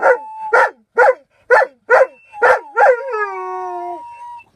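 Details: An Alaskan Malamute singing: six or seven gruff woofs roughly every half second, ending in a long, smooth howl that sinks slowly in pitch.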